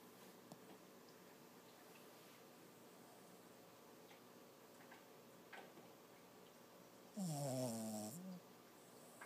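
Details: A sleeping, dreaming Lhasa Apso puppy named Toby, six months old, lets out one rough, moaning snore-like sound about a second long near the end. It follows a long quiet stretch with a few faint clicks.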